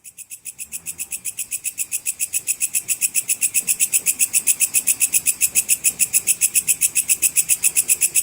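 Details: Sword grasshopper (belalang pedang cicir), recorded for training competition songbirds: a high, rasping buzz pulsed about six times a second, starting soft and swelling to a steady, even rhythm that runs without pause.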